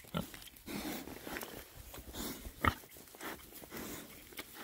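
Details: Six male Oxford Sandy and Black pigs, a rare breed, rooting about in winter between storms; soft, intermittent grunts and snorts with a single sharp click-like sound, quiet rustling in the background.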